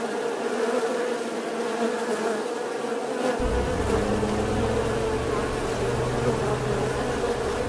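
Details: Bee buzzing in a steady, unbroken drone that holds one even pitch throughout, with a deeper low hum joining about halfway through.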